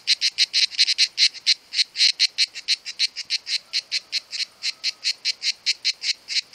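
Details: Two cicadas singing in summer, a steady train of rapid, harsh, buzzy pulses repeated several times a second without pause, high-pitched and dry, with no other clear sounds.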